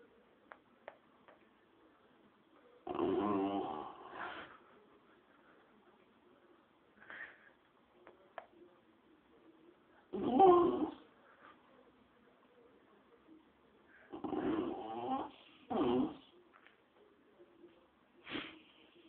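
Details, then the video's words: Rufus, a small dog likened to a miniature wolf, gurns inside a dingy old shower cubicle: about five throaty, voiced grumbling bursts, each roughly a second long, separated by quiet gaps, with faint soft noises between them. "Rufus Gurns"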